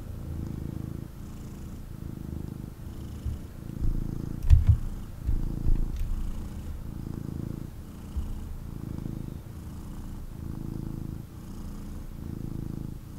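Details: Kitten, a male, purring hard as he snuggles in his owner's arms; steady low vibrating rumble pulsing in regular cycles roughly every second and a half, with a few light handling knocks and clicks midway.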